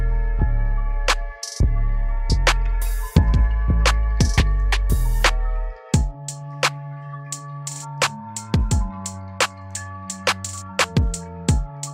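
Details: Electronic beat with deep bass drops and sharp percussive hits, switching to sparse plucked tones halfway; no lion or other animal sound is heard.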